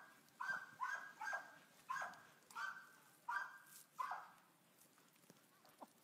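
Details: Cookie, a Boxer available for adoption, recorded 1 August 2015: a run of about seven short, sharp barks over four seconds, each with a bright harmonic edge, spaced unevenly, then quiet room tone.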